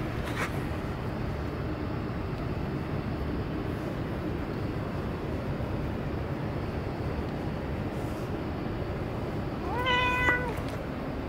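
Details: Cat at Dockyard Garden, recorded 17 June 2017: one drawn-out meow with clear harmonics near the end, about half a second long, over a steady low rumble of urban and vehicle noise.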